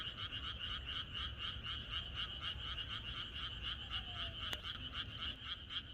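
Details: Countryside frogs croaking together at night ahead of expected rain, a thick chorus of quick repeated pulses around four a second, steady and unbroken, with a brief click near the end and low background hum.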